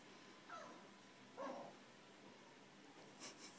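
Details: Russell, a French Bulldog indoors, barks at his own reflection in a mirror, wanting the blue ball the dog in the glass holds. Two short, quiet, harmonic barks about a second apart, then a still room with faint clatter near the end.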